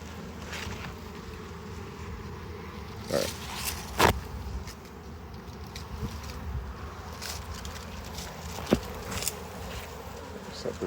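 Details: Honey bees buzzing as their hive is harvested and expanded: a soft continuous hum under several loud knocks and clicks from frames being handled.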